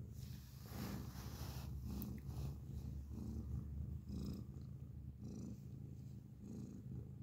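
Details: A grey pet cat purrs loudly at close range; the low throbbing rumble rises and falls with its breathing, each cycle lasting about a second, with faint soft rustles over the top.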